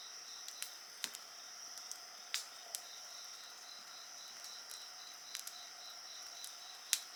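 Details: High continuous insect trills and a quick pulsing tone behind a lively bonfire, with frequent crackles and sharp pops from the fire scattered through the chorus.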